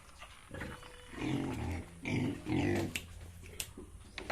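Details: Yorkshire and Hampshire pigs on a farm in Bongaigaon, Assam, India, giving low, rough grunts that swell between one and three seconds, with scattered clicks and knocks afterward.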